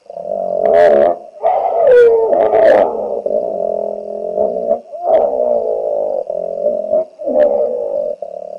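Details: On the Olifants River banks in the greater Kruger National Park, a territorial hippo shouts at an intruding hippo: loud sustained droning bellows, rough and resonant, broken by sharp bursting snorts and wheezy honks.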